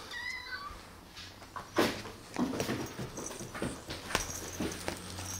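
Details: Kitten, one of two recovering from an eye infection and still having its eyes treated, gives a short high meow with falling harmonic tones at the start, followed by knocks and clattering as new toys are handled.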